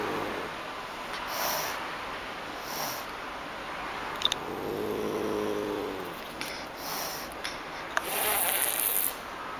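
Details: Pallas's cat getting angry, sending out repeated sharp, airy hisses spaced a few seconds apart, with a softer drawn-out growl in the middle and a thin steady whine plus faint clicks behind.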